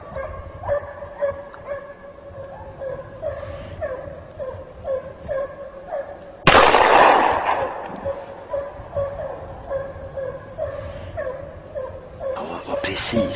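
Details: A Kopay hound bays in quick, ringing barks, several a second, while trailing a hare in snow during a hare hunt.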